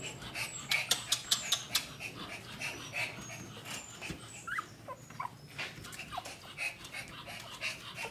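Pomeranian puppies give thin, high squeaks and whimpers among soft scuffling sounds.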